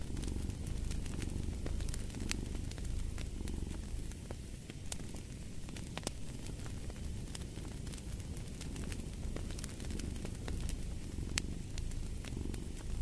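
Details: Cat purring next to a crackling fireplace, a deep continuous rumble pulsing with each breath, less even in places, with frequent sharp wood snaps cutting through.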